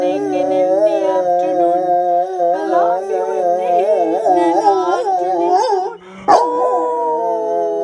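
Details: A Labrador–Great Dane mix dog howls in long, wavering tones at night, joining in with singing during a nightly sing-along with parrots.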